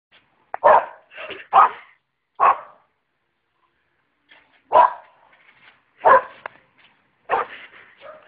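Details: Boxer dog barking while jumping on a trampoline: loud, rough barks in short irregular bursts, a quick cluster of three early on, then single barks spaced one to two seconds apart, with brief silences between.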